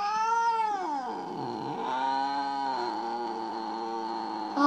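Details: Mo, a house cat described as jealous after its owner handled another kitten, lets out one long wavering yowl that slides down, dips low and rises again, continuing without a break for over four seconds.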